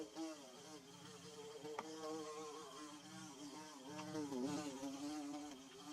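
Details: Bees building their comb hum steadily: overlapping buzzes with a low droning pitch that wavers and bends as individual insects move closer and away, with a brief dip in tone near the end.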